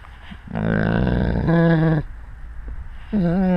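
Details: Wolf with the pack, captured on a GoPro at the animals' eye level: a long, steady, harmonic moaning call, a brief pause, then another rising, drawn-out tone.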